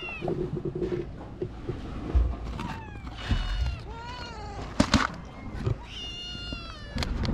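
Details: Stray kitten and mother cat on a cat island in Japan, calling to a person before being fed; several harmonic meows, some rising then falling, others short and repeated, over low rumbling handling noise and a brief voice.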